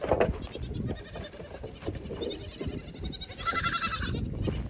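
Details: Goats while the mothers feed on grain in the evening and the kids run wild; rapid overlapping nasal bleating, ending in one long, loud, wavering bleat, over a busy background of movement and knocking.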